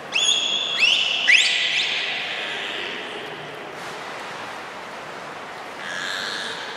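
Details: Beluga Hodoi, trained for gastric fluid sampling and blood collection at Port of Nagoya Public Aquarium, Japan, 6 January 2019, gives three quick sharply rising high whistles in the first two seconds, then a faint hum over steady room noise.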